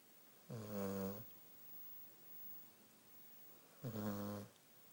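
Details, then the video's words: Belle, a sleeping Beagle, snoring indoors: two long harmonic rasping snores, each lasting under a second and spaced about three seconds apart, with quiet room tone between them. "Beagle Snoring"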